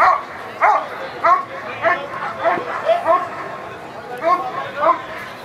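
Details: Eran von Houthrack, a dog working through the protection phase of the NIAK 2014 trial, gives loud, sharp harmonic barks in a steady series, about one every half second to second, over a low murmur of voices.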